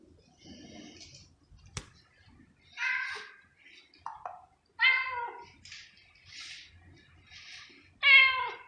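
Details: Domestic cat meowing indoors: several short harmonic meows, sometimes falling in pitch, spaced irregularly over about nine seconds, with quieter rustling and a sharp click between calls.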